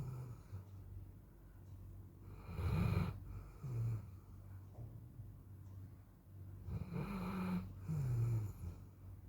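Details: Micky, a tired Golden Retriever, snores in deep, rumbling breaths with occasional snorts while sleeping on a very hot day.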